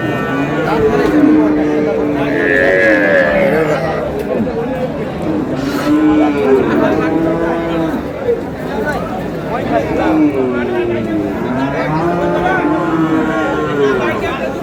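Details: Cows with calves at Ambari livestock market, Dinajpur, on 7 August 2026: a run of drawn-out, arching lowing calls, some overlapping, over a steady background of people talking and market bustle.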